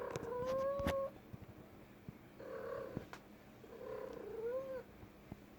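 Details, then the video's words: A female cat making noise indoors: three separate meows about two seconds apart. The first is steady and tonal, the second softer, and the last rises at its end. Light clicks and a quiet room hum sit behind them. "My cat making noise"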